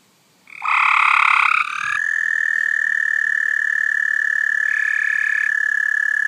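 A frog gives a loud, piercing screech that settles into one long, steady, high whine.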